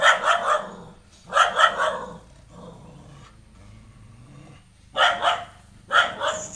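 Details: Female pet dog keeps barking at a new stray puppy brought into the home; paired sharp barks come in clusters about every one to four seconds, separated by low growling.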